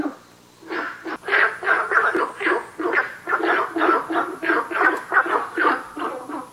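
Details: At 南河谷, a Günther's frog gives a steady series of about fourteen rough, barking croaks at close to three per second, starting after a short quiet pause.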